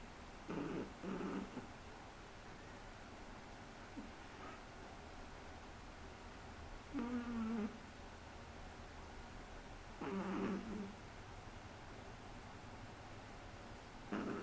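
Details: Shih Tzu puppy aged three months sleeping and snoring: short low snorts and nasal rumbles come in bursts every few seconds, some slightly tonal, with quiet stretches between.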